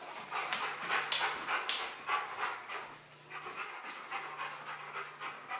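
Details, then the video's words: Rottweiler panting heavily while working through a box maze challenge for a prize, fast breathy rhythmic huffs in uneven bursts, with a brief quieter pause midway. "Rottweiler Box Maze challenge"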